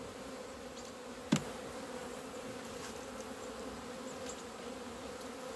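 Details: Hive of honey bees coming out into February sunshine on 17 February 2020 after two months indoors. A continuous low droning hum runs steadily, broken by one sharp click early on.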